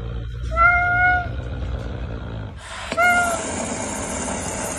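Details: Caracal named Pumba, hissing while eating: a drawn-out, harmonic wailing call lasting under a second, then a steady breathy hiss filling the rest. A second short whine cuts through the hiss.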